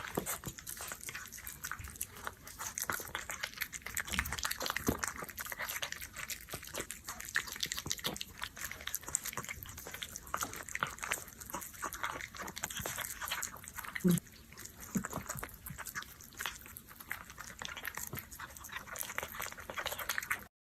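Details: Continuous wet chewing and licking from an orange cat at a dish of canned food, fast crackling smacks with no pauses, then a sudden stop.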